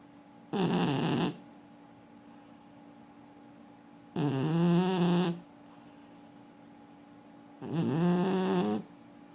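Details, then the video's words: Sleeping French Bulldog snoring indoors: three loud rasping snores, each about a second long, spaced roughly every three and a half seconds, with low harmonic buzz and quiet room hum between them. "Французский бульдог. Спит и храпит."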